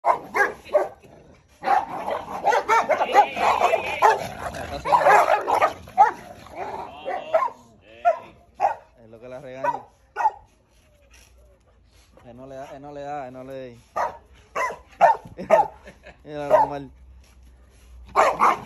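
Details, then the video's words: Female and male Dogo Argentino fighting: a dense burst of rough, snarling growls and scuffling fills the first seven seconds, then fades into scattered yips, while people shout and call out in Spanish throughout. "Female vs male dogo argentino fight"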